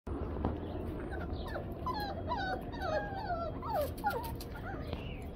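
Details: Yellow Labrador Retriever Blazer playing with four-week-old puppies; high, thin whimpering squeals that slide up and down arrive in quick bursts over a steady low background rumble.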